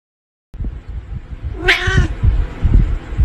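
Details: A cat gives a single short meow of about half a second, bright and slightly falling at the end, after a moment of silence, with low rumbling handling noise throughout.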